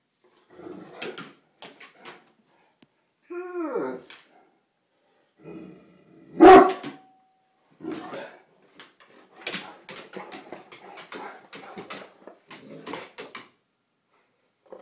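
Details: Newfoundland named Hendrix playing over a bone indoors with Lacey, a Great Dane; one loud sharp bark stands out mid-clip, preceded by a short wavering whine, with scattered low grumbles and scuffling bumps around it.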